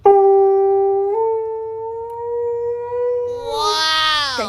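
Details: Husky dog waking someone up, a long steady howled tone held level for about three seconds, then rising into a brighter, strained wail before cutting off; quiet indoor background.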